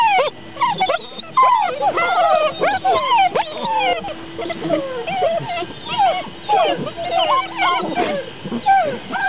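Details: Basset Hound puppies at a kennel in Poland whimper and yip in a busy overlapping chorus of high, wavering cries.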